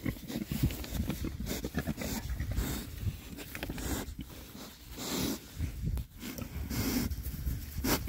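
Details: Six rare-breed Oxford Sandy and Black pigs foraging in winter between storms, giving low, dense snuffling grunts and snorts close up, with rustling and chewing noises throughout.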